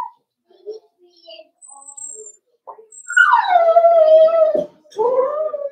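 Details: Cavalier King Charles Spaniel puppies, four weeks old, in an indoor puppy pen during socializing and feeding. After quiet shuffling and soft murmurs, a long tonal whimper falls slowly in pitch, followed by a shorter second whine.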